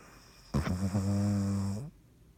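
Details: Dottie the dog snoring while asleep: one long rumbling, buzzy snore lasting about a second and a half, low and steady with a rough edge, then quiet.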